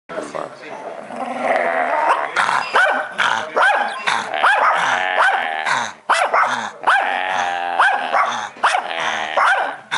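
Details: A friendly Shih Tzu at a BBQ growls in short, rough bursts while people talk nearby.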